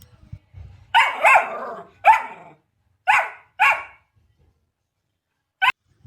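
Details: Puppy dog barking: a quick double bark, then single sharp barks spaced about a second apart, clear harmonic yaps, a pause, and one last short bark near the end, with silence between.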